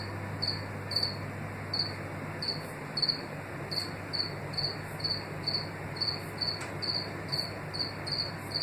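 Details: A house cricket (Acheta domesticus) in East Suffolk, UK, in 2018 gives short, high, trilling chirps, repeated steadily a couple of times each second; this species is rare in the wild and favours warm indoor places.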